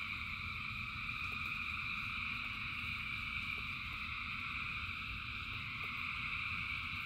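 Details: Countless frogs singing together in rain, producing a seamless high-pitched trilling hum that never breaks, accompanied by constant rainfall noise and occasional faint taps.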